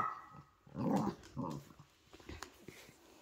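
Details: Poodle mother with her puppies: two short, rough growl-like bursts close together early on, then quieter scuffling and faint clicks.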